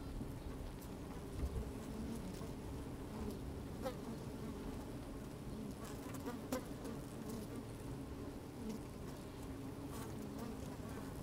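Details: Honey bees working inside an open hive on a fine, sunny day, microphone slid down among the combs: a dense, steady low hum with scattered brief louder buzzes and soft clicking patter as bees move about.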